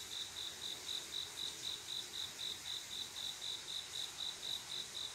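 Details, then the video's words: Male cricket singing to attract a mate on a calm summer night; sharp, high chirps repeat at a steady rate of roughly four per second over a soft background hiss. "조용한여름밤 귀뚜라미소리"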